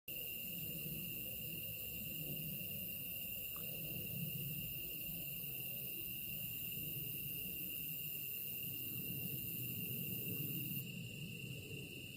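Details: Grass insects singing in a steady, unbroken high-pitched whine, with a fainter shrill layer above it, over a broad low rumble of background noise.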